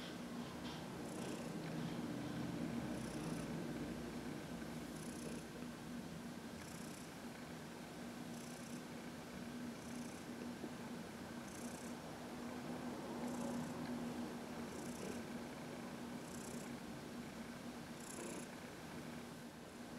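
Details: Heidi, a 14-year-old adopted house cat, purrs steadily while massaged in sunshine on March 19, 2021; a deep, even drone runs throughout, with faint airy hisses recurring about every two seconds.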